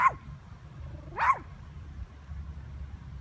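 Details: A Yorkshire Terrier named Lily barks at a bird, two sharp, high-pitched yaps about a second apart over a low background rumble.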